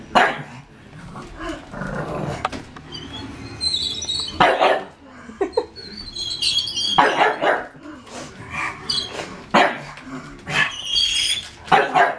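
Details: Pug named Smeagol objecting to a Lego tank: repeated short barks scattered through the clip, some in quick pairs, against the tank's buzzing, whining motor and clattering movement.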